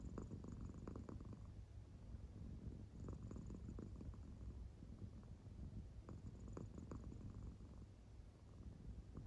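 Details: Deeply sleeping American Shorthair cat purring, its belly moving with each breath; a low throbbing purr runs throughout, with louder breathy phases near the start, around three seconds and around six to seven seconds.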